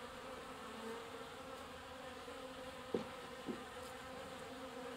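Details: Honey bees gathered at a watering point to collect water give a continuous droning hum, with individual bees passing close as short rising and falling buzzes and two sharp ticks midway.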